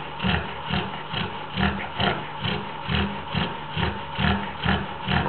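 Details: Snoring from a pregnant Labrador, deep, throaty rumbles pulsing at a regular rhythm of about two per second, each breath a coarse, snorting rasp.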